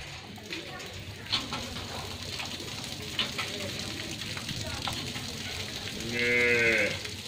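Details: Friesian cow, nine months pregnant with her first calf, gives a single drawn-out moo near the end, preceded by farmyard background noise and faint voices.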